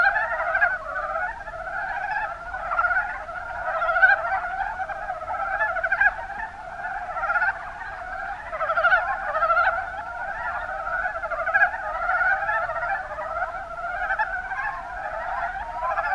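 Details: Mountain brown frogs (Rana ornativentris) in the Kuma Basin, Kumamoto, Japan: a dense chorus of overlapping low chuckling croaks, rapid pulsed notes layered continuously for the whole stretch with no other clear sounds.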